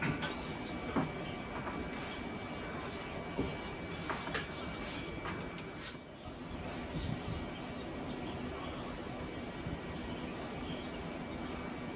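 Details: Steady low rumble of a passing train or vehicle, with a faint constant tone and a few clicks and knocks, but no animal voice.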